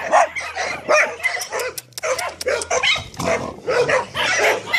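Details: Staffordshire Terriers barking in short, loud, bright bursts, several barks following one another within a few seconds, with brief gaps between, over a low steady hum.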